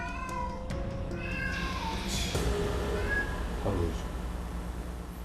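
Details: A domestic cat, a former stray, gives plaintive, drawn-out meows at night, calling to its owner. The meow is aimed at people and used to get a reaction from the owner; cat.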